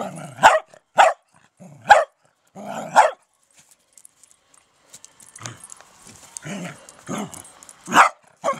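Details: Dachshund on an allotment garden plot barking: four loud, sharp barks about once a second, a pause, then softer, more scattered barks and one strong bark near the end.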